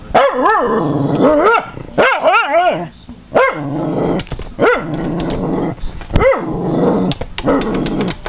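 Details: Cairn Terrier barking at feeding seagulls and crows through a window; a run of loud, sharp barks in bursts, about eight in eight seconds, some doubled, with growly noise between them.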